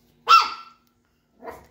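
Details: Chihuahua puppy, eight weeks old, lets out one loud, sharp, high yelping bark that trails off, then a softer, shorter yap about a second later.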